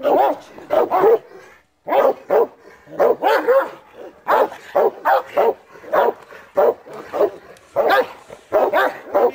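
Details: Bite-training session of the Cane Corso Taco, first time seeing and catching a sleeve; dense volleys of heavy barks, often doubled, with one short silence near the start and faint human voice in the background.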